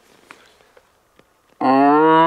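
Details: A red deer stag roars during the rut in a young hillside forest with rocky terrain, a deep harmonic-rich roar breaking near silence; 7-8 stags were roaring around a hunter using a tube lure.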